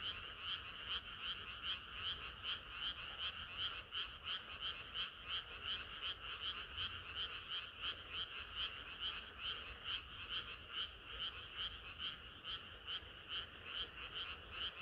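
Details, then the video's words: Chorus of frogs on a hot summer night: continuous rapid croaks layered into a rhythmic throbbing, roughly two to three pulses per second, high and bright, over faint low hum. "개구리들의 합창은 끝이 없어라"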